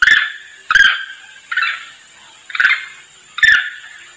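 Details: A monkey lure call: harsh, barking calls about once a second, used to call to companions.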